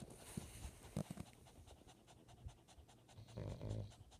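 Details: Pet chihuahua panting in bed beside a napping man who snores; quick, breathy bursts of rapid panting with short pauses, soft low snoring rumble underneath, indoors.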